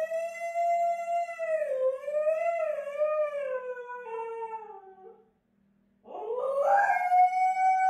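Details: Female pet Siberian husky howling at her owner to demand attention and show she is upset: a long, steady, singing howl that wavers and slowly falls, a brief pause, then a sharply rising howl held high, with a faint regular beat beneath.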